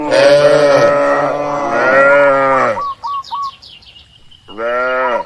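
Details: Cattle in a large livestock barn give loud overlapping moos for about three seconds, then a quiet spell with a few small bird chirps, before another single moo rises at the end.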